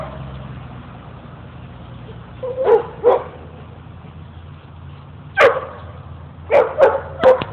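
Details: Playful dogs Mookie and Maeby at Bassett Park, Hamden, Connecticut, give a run of short barks, a pair near the start then a quicker cluster of three toward the end, with low rumbling background noise.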